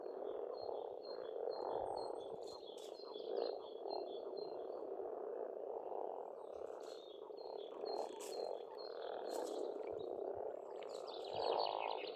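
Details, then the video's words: Frog chorus in spring at a pond on a farmstead in Estonia: a dense, continuous croaking band forms the main sound, while birds sing thin high whistled phrases above it. "Расслабляющее пение птиц и лягушек, весна"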